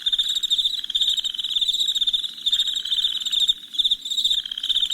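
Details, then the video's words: Chirping crickets after dark, heard as a bright, unbroken buzz of fast pulses. Beneath it, a duller pulsed chorus comes and goes in short waves. "Soothing Crickets Chirping Sounds"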